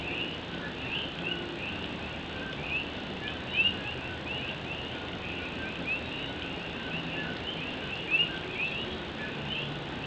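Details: Puerto Rican coqui frogs chorus at night in Puerto Rico as rain drums on an old tin roof; many short upward-sweeping chirps overlap steadily, with a few louder close calls standing out above the constant hiss of rainfall.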